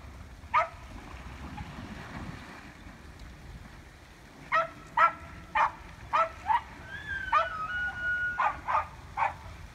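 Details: Evergreen, Colorado street fight between elk, October 19, 2018: after a quiet stretch, a burst of rasping grunts starts, along with a thin, high, drawn-out whistled tone near the end.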